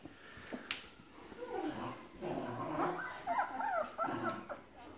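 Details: Hungry Grand Basset Griffon Vendéen pups from an O-litter, 30 November 2015, whimpering indoors: soft, wavering whines overlap in several short rising and falling bursts, with low murmuring underneath.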